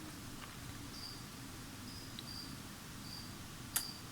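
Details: Crickets bought as feeder insects chirp faintly behind the room noise indoors, giving brief high, pure-toned notes spaced about a second apart, with one sharp click near the end.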